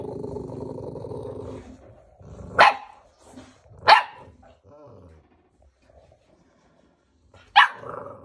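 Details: At a Romanian kennel, two-month-old American Bully puppies give a steady low rumbling growl for nearly two seconds, then three short, sharp yapping barks spaced irregularly, with soft rustling between them.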